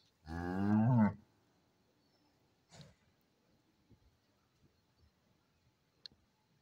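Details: Holstein cow on a dairy farm: one short, loud, deep moo lasting under a second and rising at the end, then quiet with a faint thud and a few soft clicks.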